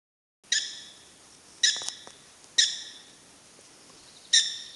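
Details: Prairie dogs at Wildpark Frankfurt/Oder give sharp, bright chirps: four short barking notes with a ringing, harmonic quality, spaced irregularly about one to two seconds apart, over quiet background hiss.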